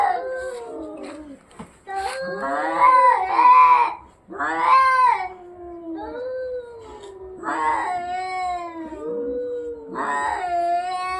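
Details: Cats fighting, giving long wavering yowls that rise and fall in pitch, with drawn-out harmonic wails and short pauses between bursts, one voice sliding down into a lower moan.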